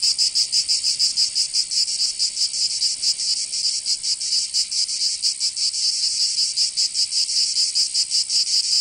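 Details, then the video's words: Cicadas singing through a summer day in Provence, in the south of France. An intense metallic hiss carries irregular throbbing pulses, the buzzing chorus filling the whole recording. "Canto Cigarra 🦗 [ Escuchar les cigarras en verano 10 H]"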